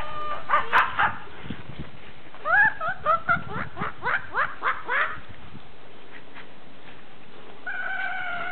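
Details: Several Pembroke Welsh Corgis at play in deep snow let out a quick run of rising, squeaky yips, then pause before a drawn-out steady whine near the end, with soft rustling underneath.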